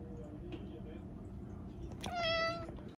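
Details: A short-legged red tabby-and-white Munchkin cat, shown snow after a long gap without any, gives a single clear, fairly high meow that holds steady and fades slightly as it looks at the snow.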